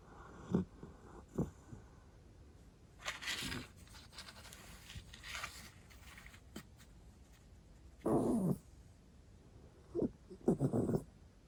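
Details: Jack Russell Terrier in deep sleep indoors, one of four kept together: soft, low snorting breaths in short bursts near the start, then louder raspy snores with a brief rustle in between, repeated about every two seconds toward the end.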